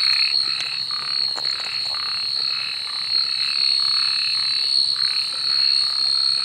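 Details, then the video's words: Frogs at night producing softer, blurred croaks that overlap in a busy chorus, less distinct than the ringing high steady tone that dominates the background throughout. "suara kodok dimalam hari pengantar tidur"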